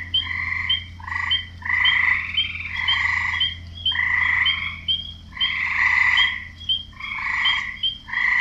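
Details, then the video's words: Frogs croaking, with males calling to draw in females: loud, nasal croaks in bursts of about a second, some run together, stacked in bright bands, with a steady low hum beneath. "Frogs croaking"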